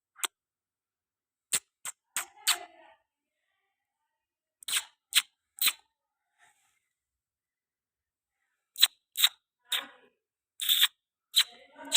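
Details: Sharp isolated clicks, like a camera shutter, come in short bursts separated by near silence in a small room, with no animal voice.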